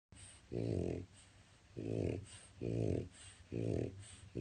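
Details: A male French Bulldog napping in his crate one afternoon snores loudly in deep, rumbling bursts, each about half a second long and coming roughly every second.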